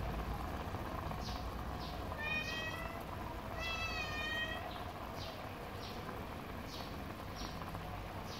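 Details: Domestic cat meowing while breakfast is made for it: two drawn-out, wavering meows with rich harmonics, the second longer, over a steady boiling or sizzling hiss and repeated soft clicks.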